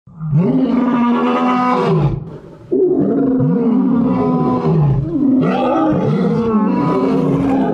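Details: Lions roaring in a drawn-out, moaning series of deep, harmonic-rich calls with short breaths between, with a brief dip near the second mark before the roaring resumes strongly.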